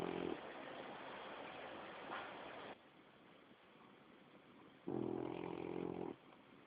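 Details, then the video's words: A 7-month-old French Bulldog named Greg snores while sleeping on a lap. Two harmonic, low-pitched snores last about a second each, one at the start and one roughly five seconds later, with quiet room hiss between them. "Bulldog Frances de 7 meses roncando"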